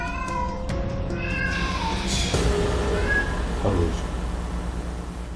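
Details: A pet cat that meows constantly at night, starting around its food bowl as if dissatisfied, gives plaintive, drawn-out meows sliding downward in pitch. The vet notes they are more pitiful than usual meows, pitched to reliably get its owner to react.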